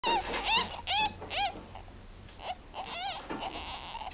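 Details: Ten-day-old ferret babies giving high, arched squeaks with ringing overtones, several in quick succession in the first second and a half, then fainter scattered squeaks over a low steady hum.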